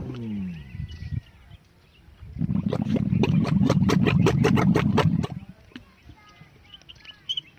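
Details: Camel at a Thar Desert market in mating season making a loud, low, rapidly pulsing gargle for about three seconds, preceded and followed by quieter background with faint whistles and chirps.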